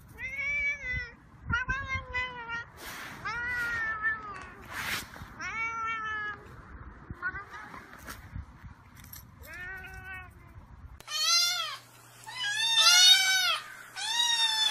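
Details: Domestic cats of various kinds meowing incessantly in a compilation; harmonic meows with rising-falling arches, some short and flat, others long and bent, several cats in turn, with a cut to louder, higher, strained meows near the end.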